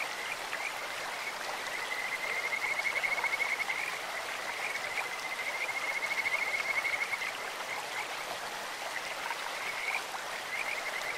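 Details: Kajika frog chorus by a clear stream: a thin, high trilling run of rapid notes that swells between about two and seven seconds and again near ten, with flowing water beneath.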